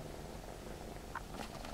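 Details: A male Egyptian Mau kitten, born 4 November 2015, purrs with a steady, low rumble broken by a couple of faint, brief clicks; he is friendly and a little shy of the camera.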